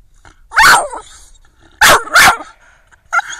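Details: Twelve-month-old female Staffordshire Bull Terrier barking indoors: one loud harsh bark, then two quick barks in a pair about a second later, and a short softer yelp at the end.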